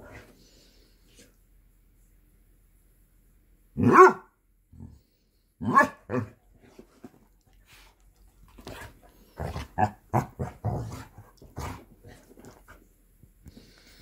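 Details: Basset hounds, three dogs, play-fighting in a morning game of bitey face; a few sharp barks spaced seconds apart, then a rapid cluster of short barks and growly grunts near the end.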